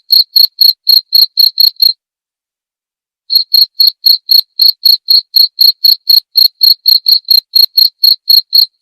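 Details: Cricket used as training sound for cage songbirds and for therapy: rapid high pulsed chirps repeated about four times a second, breaking off for roughly a second and a half midway before resuming.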